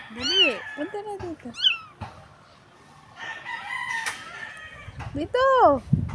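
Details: Crying stray kitten on a dirty street gives loud arched meows near the start, then one more near the end. Human talk fills the quieter middle stretch.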